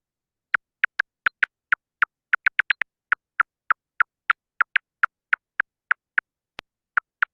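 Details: A silver-haired bat (Lasionycteris noctivagans) feeding in the Fraser Valley, British Columbia, gives echolocation calls to locate prey, heard on a bat detector as dry, clicking ticks in an uneven, quick series.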